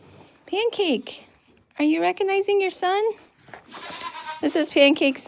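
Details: Goat at The Willful Goat Farm & Home, bleating indoors: a drawn-out, quavering cry that falls in pitch, then a run of three shaky, wavering bleats with rich harmonics, and later a higher, strained call after a short pause.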